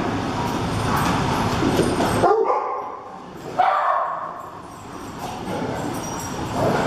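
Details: Mutts at Lucky Puppy Country Doggy Daycare during the centre's first annual dog slumber party, with a box of tennis balls emptied above them; two sharp barks about 1.4 seconds apart, over human speech and steady indoor background noise.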